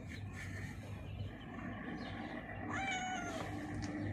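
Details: One meow, rising then falling, from a female cat blind in the left eye that hides under a mixer truck, heard near the end over a constant deep engine-like hum.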